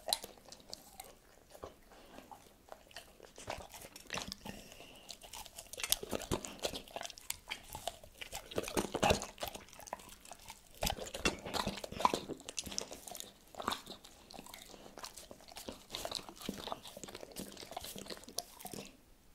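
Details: Crunching and wet chewing from Tito the dog working through cordon bleu in a close, talk-free ASMR eating session. Bites rise and fall in loose clusters across the whole stretch, with steady soft mastication between louder crunches.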